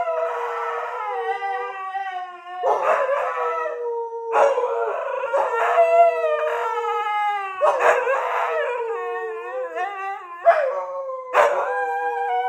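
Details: A Siberian Husky howls in the morning in long, steady, rich-toned notes broken by rougher yowling bursts.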